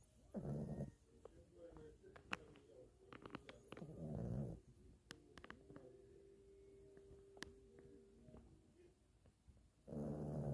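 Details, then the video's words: Sleeping Pomeranian puppy snoring: deep, rough, low breaths in long swells near the start, middle and end, separated by quieter stretches with scattered clicks and rustles. "Snoring dog"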